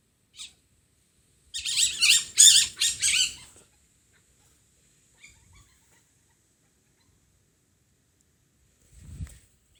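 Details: Masked palm civet at night in a home garden in Japan: a two-second burst of harsh, rapid, high-pitched chattering squeals, then mostly silence with a few faint sounds and one low thump.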